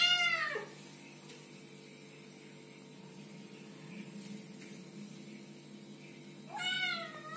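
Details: Small kittens give two high meows, one at the start and one near the end, with a long quiet hum-filled gap between them.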